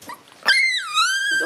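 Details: Shiba Inu puppies, a pair of white sisters born December 27 and a black pup born January 3. After a soft rustle comes one long, clear, high whine that starts sharply, drops and then holds steady, and ends in a lower murmur.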